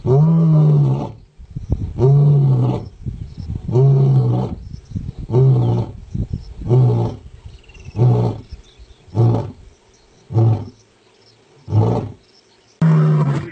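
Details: Powerful roaring of a male lion, a sequence of about ten deep grunting roars, longer and fuller at first, then shorter and spaced further apart as the bout winds down.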